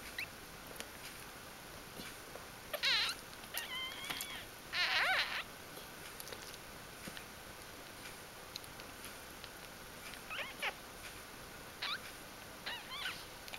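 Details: Newborn puppies in their first four days of life, litter born to a female dog: scattered thin high squeaks and short wavering whines, a few bursts spread over the recording, quiet background hiss.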